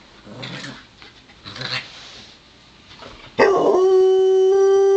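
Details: Domestic dogs Joplin, a Ridgeback mix, and Romeo the Pomeranian wrestling in play: a few seconds of scuffling and soft huffs, then a sudden loud, steady, tonal howl held at one pitch to the end.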